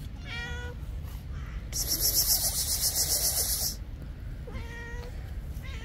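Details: Stray cats on an island on a cold, rainy day, coming out of their cat house at a man's voice: two clear rising-falling meows at the start and end, with a loud hissing rush of rain or wind between.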